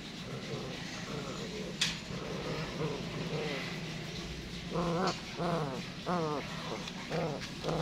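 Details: Rottweiler, a Serbian-line guard and working dog in training in Can Tho, Vietnam, giving short harmonic barks and yelps in rapid bursts in the second half, over steady low background noise.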